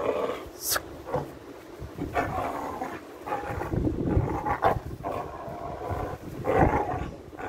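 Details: A pit bull pup playing and pulling on a leather glove growls in low, rumbling bursts, with brief sharper sounds breaking through.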